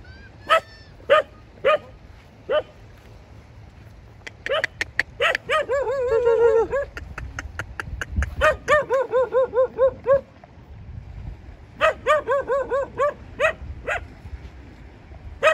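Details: A dog barks in scattered single yaps, then breaks into fast runs of rapid wavering barks, several in quick succession around the middle and again near the end, with low background hum throughout.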